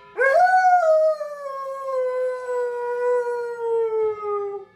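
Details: Dog howling on Thanksgiving: a sharp rising onset then one long sustained howl that sinks slowly in pitch across four seconds, with clear stacked harmonics and little background sound.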